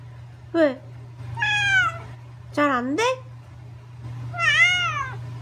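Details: Angry meows from the pet cat Gureumi, who talks back in four loud harmonic calls: a short sharp cry, a long drawn wail, a rising-falling double yowl, and a final bending meow, all above a constant low electrical hum.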